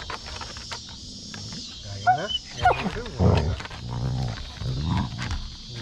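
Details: Basset Hound Mo greeting and playing with his sisters on a deck: low rumbling growls and grunts in irregular bursts, with a couple of short rising whine-like tones early on and snorty huffs throughout.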